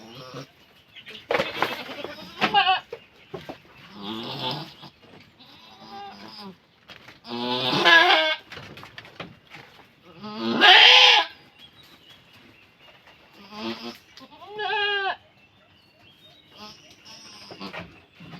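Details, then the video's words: Goat during birthing, people coaxing the newborn to stand; several shaky, harmonic bleats of varying loudness spread through the stretch, mixed with human talk, laughter and handling noises. "ACTUAL NA PANGANGANAK NG ATING KAMBING"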